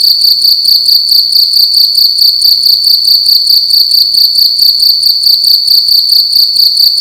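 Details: A cricket in a room during the night gives loud, shrill, pulsing chirps, a fast regular beat of about two to three per second over a constant high ringing tone.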